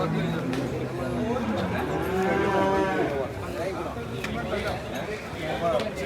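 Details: Buffalo offered for sale at a livestock market, giving a long, drawn-out moo with a rising then falling tone around the middle of the recording, while people talk nearby and the general murmur of the market carries on.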